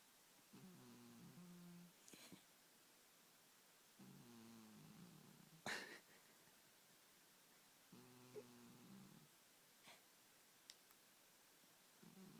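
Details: Sleeping domestic cat snoring indoors: soft, low rasping snores with a buzzy ridged texture, each lasting about one and a half seconds and returning roughly every four seconds, with a few faint clicks and rustles between breaths.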